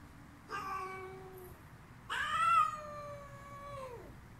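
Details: Female cat screaming: two harmonic-rich yowls. A short one comes first, then a longer one lasting about two seconds that holds steady before sliding downward at the end, over a low background hum.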